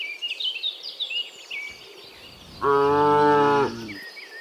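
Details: Cow in the morning, returning from the field to the pen, gives one steady harmonic moo of about one second after quiet chirping of birds and insects.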